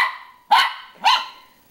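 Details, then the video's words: A dog barks at himself in a mirror: two sharp, bright barks half a second apart, each fading quickly. "barking at himself in mirror"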